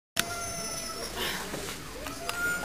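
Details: Domestic cats facing off through a glass door, a neighbourhood bully cat trying to pick a fight with a household cat; a steady, drawn-out low yowl holds on one pitch with rich overtones, with faint room noise behind.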